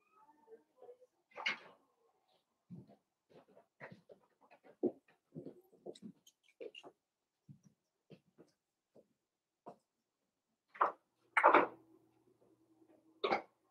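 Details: Blenheim Cavalier King Charles Spaniel puppies, a litter of five born at New Year's, in an indoor puppy pen: scattered short yelps and soft squeaks, with several louder sharp yips near the end and quiet rustling between.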